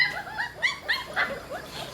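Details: Hungry Pit Bull puppies about a month old, mother named Namtan, waiting for food after nursing: a chorus of high, overlapping whimpering yelps rising and falling in short bursts, with faint room noise.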